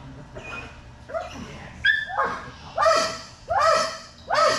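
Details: Belgian Malinois named Strider during Fetch-It (Air Retrieve) dock diving practice: a run of sharp, harmonic barks, spaced under a second apart and growing louder toward the end.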